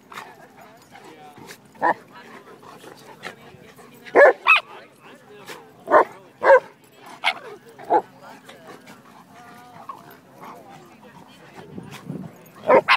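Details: Eight-month-old female Shiba Inu at play with a dog four to five times her size in a dog park; loud, sharp barks and yelps in uneven clusters, some doubled, with people talking between bursts.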